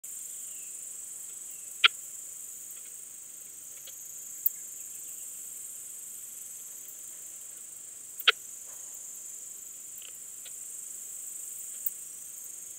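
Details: Balkan Speckled Bush-cricket (Leptophyes boscii) at Vela Ucka, Croatia, 10 July 2022, heard through an ultrasound detector: single sharp clicks spaced several seconds apart over a steady high hiss.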